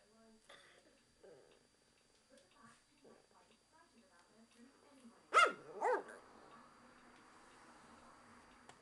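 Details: Japanese Chin barking at the window cleaner; quiet human talk first, then two sharp, loud barks about half a second apart, followed by a faint rustling.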